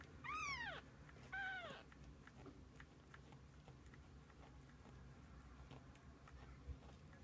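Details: Kittens with their mother cat spending the day together; two clear arched meows close together near the start, then quiet room tone with a faint low hum.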